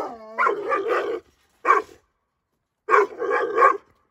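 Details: Aggressive nine-month-old Dogo Argentino bitch reacting to strangers: a whining yelp sliding into rough barks, then a single bark and a final double bark after a pause.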